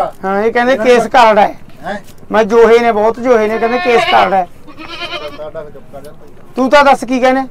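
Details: Goats at a livestock market during the sale of five goats: quavering, wavering bleats in several bursts of about a second, with men talking loudly close by between and over the calls.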